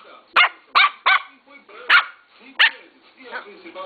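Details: Young Lhasa Apso puppy, three months old, barking in a run of five or six short, piercing yaps spaced roughly half a second apart, with a television sports newscast talking in the background.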